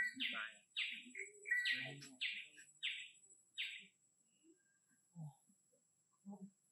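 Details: Young orphaned monkey in care asking for more food, giving a series of short, squeaky chirping calls in quick bursts over the first four seconds, with soft low murmurs and quiet handling noises between and after.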